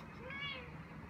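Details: On the way back from the animal hospital, the young cat Ao utters one brief, bright meow that bends up and down, with steady low hum behind and a soothing human voice following.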